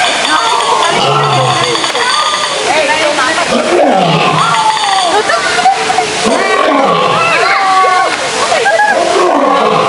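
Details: Male lion in a zoo giving rolling, grunting roars in a series, partly masked by loud visitor voices and constant crowd murmur.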